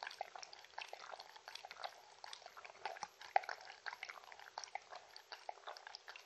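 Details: Mindy, a Shetland Sheepdog, drinking in a compilation with no talking: rapid, irregular wet lapping clicks and splashes, several per second, continue steadily with small louder slurps throughout, no voices.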